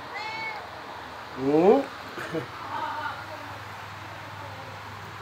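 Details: A pet cat gives a single short meow that rises and bends, rich in harmonics, partway through, while a person talks in Bengali about food before and after it; steady low hum in the background.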